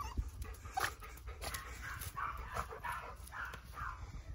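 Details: At the height of his excitement, Yoichi, a male Cavalier King Charles Spaniel born in Kurume, Fukuoka, sounds like a cat: a quick series of high mewling cries, roughly three per second, over background shuffling and scratching.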